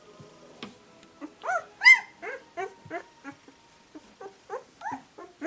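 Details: Two-week-old puppies keep up a steady string of short rising-falling whines, several each second, one sharp louder squeal early on, then evenly spaced softer cries.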